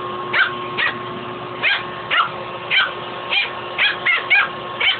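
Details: Fuzzy, a pet dog picking a fight with a shop vac hose, lets out short, sharp, high-pitched barks and yips at uneven intervals, about two a second, over a steady mechanical hum.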